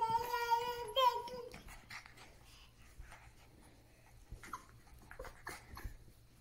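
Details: Cocker Spaniel puppies playing indoors on a couch, one trying to get their father into the game; a steady, high, sustained whining howl for the first second and a half, then soft scuffling and a few faint yips.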